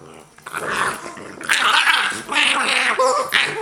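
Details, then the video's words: Two Boston Terriers playing bitey face, trading short throaty growls and snarls in bursts with brief gaps, some whiny higher-pitched notes near the end. "Boston Terrier Bitey Face!"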